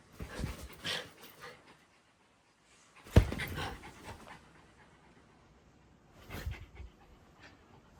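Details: Puppy panting in short, breathy, noisy huffs, with bursts near the start, a sharper one at three seconds and another near the end, separated by quieter breathing and no other clear sounds.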